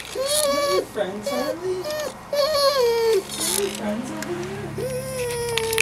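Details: Pet dog Harley, indoors with the cat Puddles, doing his best to get her to play; long quavering whines that bend up and down, uttered in several runs with brief gaps, with some faint background chatter.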